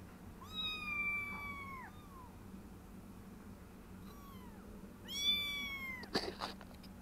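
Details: Foster kittens, three weeks old, trying out their new bed and walking around a play area: two long, high, wavering meows and a shorter faint one, each ending with a downward slide, with soft bumps and rustling over a low background hum.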